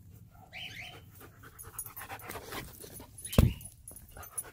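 A German Shepherd gives one sharp, loud bark among soft panting and snuffling in a small room.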